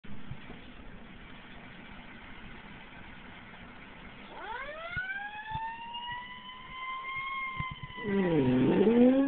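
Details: A pit bull named Brutus howls in response to fire truck sounds. Harsh noise fills the first half, then a long tonal howl rises and holds steady for about four seconds. A louder burst follows at the end.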